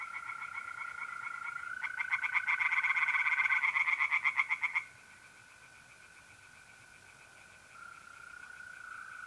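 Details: April night at a pond in north-east Italy: a short loud burst of pulsed tree frog croaks lasting a few seconds, then fading, leaving the steady tonal trill of mole crickets.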